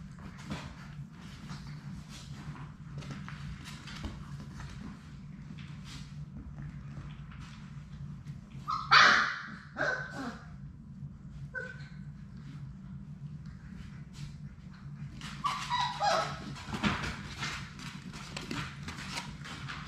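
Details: Six Labrador Retriever puppies in their play room during a live puppy cam, giving a few short high whimpers and yips around the middle and later on, over steady low hum and soft scuffling of play.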